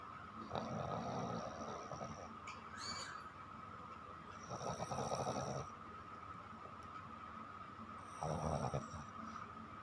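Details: Chiko, a pet dog, snoring while asleep at night: three long, rough, breathy snores, about four seconds apart, each a broad rasping rush, with quiet steady room hum between them.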